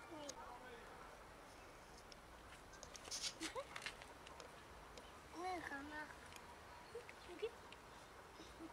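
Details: Cats from a huge colony living near and in a dumpster and feeding there give several short arched meows, two clustered near the middle, with a later brief call, over a steady urban background hiss and scattered clicks.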